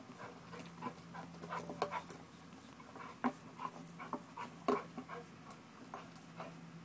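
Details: American Bulldog during a muscle-building workout, breathing in soft, uneven bursts of huffing pants, roughly forty a minute, with a faint steady low hum underneath and occasional louder snorting breaths.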